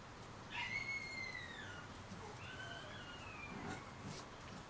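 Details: Thirty-day-old Shiba Inu puppies whimper. A thin, high whine slides slowly downward for over a second, then a second, softer falling whine follows against a low background hiss.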